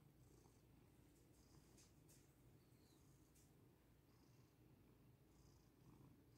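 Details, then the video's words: Close, even rumble of a contented cat named Lily purring without pause as she lies on her owner, using the person as a mattress. "purr I need to soften this human mattress so I can be the most comfortable cat 🐈 ❤ in the world 🌎"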